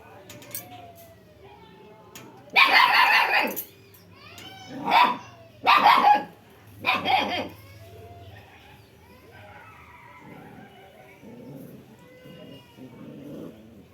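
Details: Dog barking in a village in Odisha, India, four loud barks in the middle of the recording, with birds chirping and whistling around it and a low steady hum beneath.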